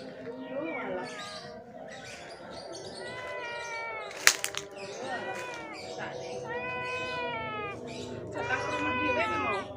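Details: Sick stray cat with severe scabies, hungry and thirsty, crying as it comes to a house asking for help; a series of drawn-out, wavering meows with harmonic bands, a sharp click near the middle, people talking nearby.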